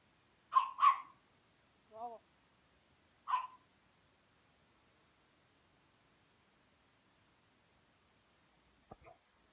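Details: Playful Rhodesian Ridgeback puppy with a Pekingese: a quick double yap, then a brief wavering whine, one more bark, and a faint click before the clip goes quiet.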